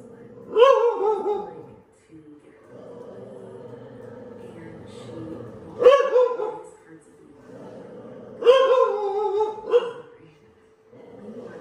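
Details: Facing a dog painting on the TV screen, a dog lets out three separated bursts of harmonic barking, each a quick cluster of yelps, with a low steady hum and faint voices between bursts.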